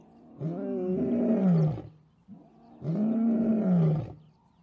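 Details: Lion on the African savannah, heard as a pride retreats from an elephant herd: two long, deep, moaning roars, each about one and a half seconds, arched in pitch and separated by a short pause, with no other sounds.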